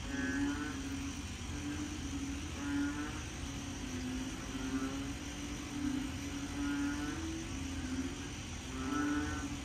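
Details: Deep, droning frog calls repeat every two to three seconds over a steady night chorus at the start of the rainy season in Korat, Thailand, after heavy rain that day; possibly big black frogs.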